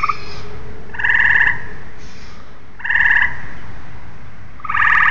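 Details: Tree frogs calling: three short, pulsed, nasal bursts about half a second long, spaced nearly two seconds apart, over steady low background rumble.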